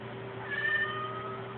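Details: Krystal, a pet cat, meowing at the TV for no clear reason: a single drawn-out meow with a steady high tone, over a constant low electrical hum.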